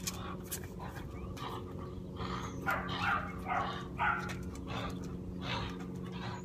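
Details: Indigo, a dog undergoing training for dog aggression, makes a cluster of short whines and soft bark-like bursts mid-clip over a steady low electrical hum.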